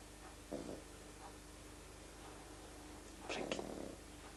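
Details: Frank, a pet pug, snoring while asleep: two soft, breathy, rasping breaths, one early and a longer one near the end, separated by quiet room hush with a steady faint hum underneath.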